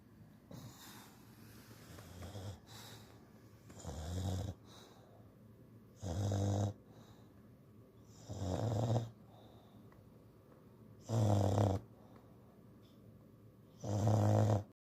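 An English bulldog snores in deep, rasping bursts, each lasting about half a second.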